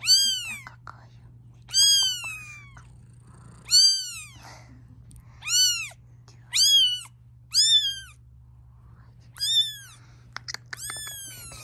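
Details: Mother cat protesting the filming of her kittens: loud, drawn-out meows that rise then fall, repeated roughly every one to two seconds, with quiet gaps between and faint clicks near the end.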